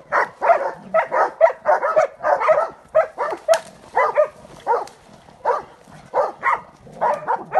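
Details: During wild boar training, a Transylvanian hound bays excitedly with quick irregular barks and some higher yelping notes, near two per second, with brief pauses between bursts.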